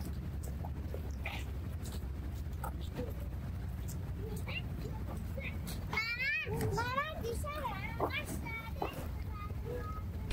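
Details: Hungry black and white cat following a person through a park, meowing for food: a quick run of several rising-then-falling whiny meows after a stretch of distant children's voices and traffic hum.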